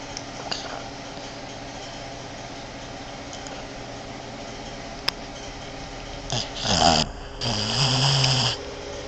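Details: Boston Terrier female asleep indoors beside her owner, snoring in a manlike way: a long quiet stretch, then a gurgling, rattly snore followed by a longer low, buzzing exhale lasting about a second.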